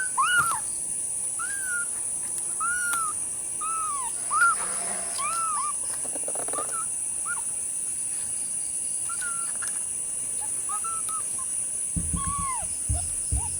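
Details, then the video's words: Kittens calling, April 15, 2025: a long series of repeated arched mews about every second or so, fairly even in pitch and shape, with a few softer overlapping cries, some low thumps near the end and a continuous high whine. "子猫たちが鳴いている(07) Koneko-tachi ga naite iru - The Kittens meowing"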